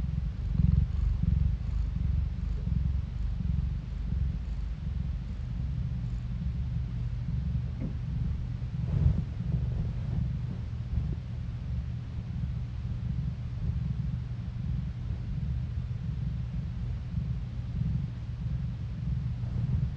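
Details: Domestic cat purring, captured on a phone: a steady low rumble with faint clicks and small rustles scattered through, level and unbroken across the whole stretch.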